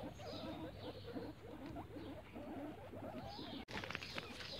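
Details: Guinea pigs playing in the grass give a steady run of soft, wavering low squeaks and chuckles, closely spaced and overlapping, with a brief sharp rustle near the end.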